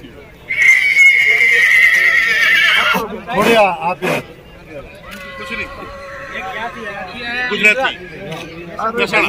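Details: Marwari horse at the Jodhpur Marwari horse show in India: a long steady high tone gives way to shaky, wavering whinny bursts near the middle and again later, over loud voices, crowd chatter and music.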